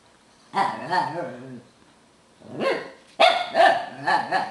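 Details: Tibetan Terrier lecturing a visiting beagle and talking instead of barking: three bursts of wavering, harmonic grumbling moans, each about a second long, rising and falling in pitch, separated by short pauses.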